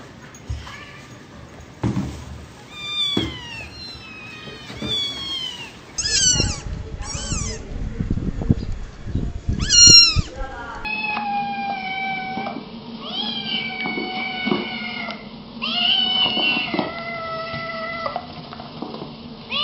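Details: Kittens and cats meowing repeatedly: strings of high, bending meows, some short and bright, others longer and wavering, with clattering handling noise and background sounds between calls.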